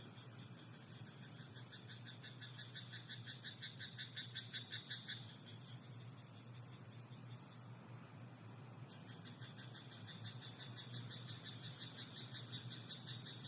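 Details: Rice-paddy frog at night: two bouts of fast, rattling croaks, the first building in loudness for about five seconds, the second softer after a short lull, with shrill insect tones steady behind.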